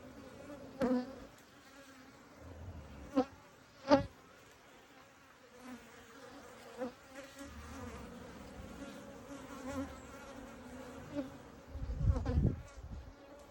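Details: Buzzing honey bees at an open hive during an inspection: a constant low drone with a clear overtone, repeatedly broken by sharp knocks and thuds from handling the frames.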